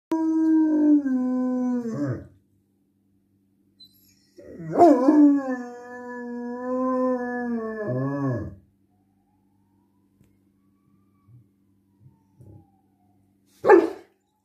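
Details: German Shepherd howling: two long tonal howls, the first about two seconds, the second about four seconds, steady then falling at the end, followed by a short yelp near the end after quiet.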